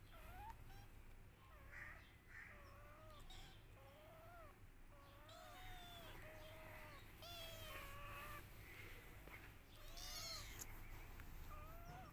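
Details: Several kittens meowing for their missing mother, overlapping short arched cries that come thick and fast, some higher and squeakier, against constant low-pitched background noise.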